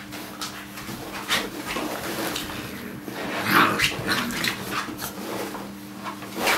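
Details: Puppies just over six weeks old playing indoors: soft scuffling with a few short whimpers and yips, one brief squeaky cry near the middle, over a steady low hum.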